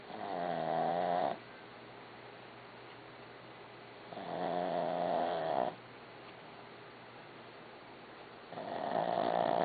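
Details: Dog named Barbie snoring, long harmonic rasping snores lasting about a second and a half, separated by quiet pauses of roughly three seconds, steady breathing rhythm indoors.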